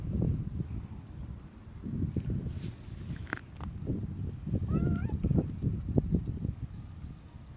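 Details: Domestic cats, a grey tabby and an orange tabby, greeting at the door on 17 January 2025 with meows and rubbing; a brief wavering meow midway, with a fainter one earlier, over heavy low wind rumble and handling noise.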